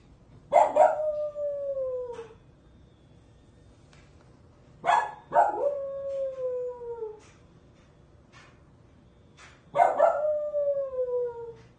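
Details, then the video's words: Three dog howls spaced about four seconds apart, each opening with a rough bark-like burst and then a smooth, slightly falling drawn-out tone lasting around two seconds. "Hear the song of my people!"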